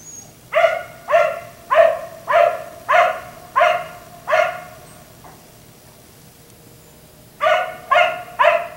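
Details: Black Labrador retriever left outside by neighbours until 1am, barking at night: six loud, evenly spaced barks about every half second, a pause of roughly two seconds, then three more barks in a quick run.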